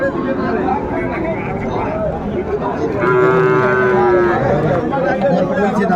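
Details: At a packed Comilla cattle market, Bangladesh, on 6 January 2025, a young bull calf lets out a steady, level moo of over a second, beneath a constant babble of human voices.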